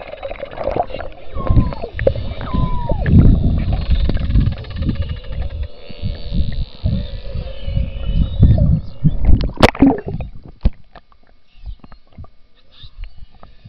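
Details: Beluga whales recorded underwater in the Churchill River beside Hudson Bay, Churchill, Manitoba, in summer, where they come to mate; a few rising and falling whistles early on over constant low rumbling water and bubble noise.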